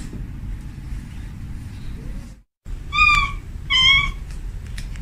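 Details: Calling female domestic cat at home, seeking a male: after a brief dropout, two short clear meows about a second apart, steady in pitch, over background rumble.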